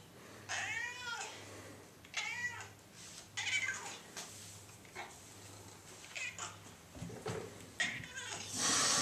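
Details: Hungry cat indoors meowing repeatedly, roughly every one to two seconds. The calls are loud, arching, harmonic wails, some strained and yowling, over a low background hum with a brief rustle at the end.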